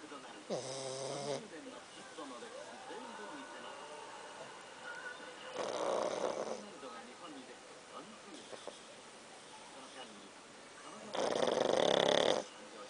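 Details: Snoring from Pakkun, a pet dog: three rough, whistle-tinged snore bursts spaced about five seconds apart, the last one loudest, over a low murmur of distant voices.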